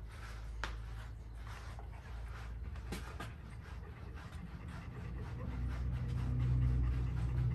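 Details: Golden Retriever panting while being brushed; soft, steady breathy pants repeated about four times a second, low and quiet, with brushing rustle and a low hum underneath.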